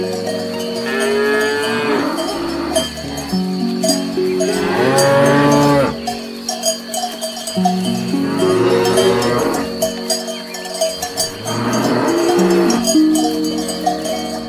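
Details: Cows grazing on grass produce four drawn-out lowing moos spaced a few seconds apart, rising and dropping in pitch, with cowbells clinking throughout.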